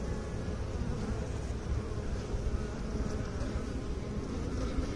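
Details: Bees buzzing in a soft, steady low hum with a grainy, fluttering texture throughout and nothing else clearly heard.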